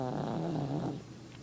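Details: Sleeping dog snoring: a short low, rumbling snore with a buzzy harmonic drone that fades off after about a second into quiet breathing.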